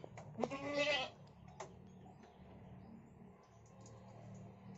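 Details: Goat stuck fast and in such pain it cannot stand, giving one short, harsh, harmonic-rich bleat near the start, followed by a few faint clicks over a low steady hum and quiet background.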